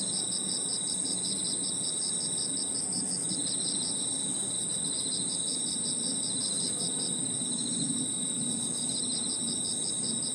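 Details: Crickets and other insects calling in a park at evening, a continuous shrill high-pitched drone joined by rapid beaded pulse trains that fade in and out, with a murmur of distant low background noise.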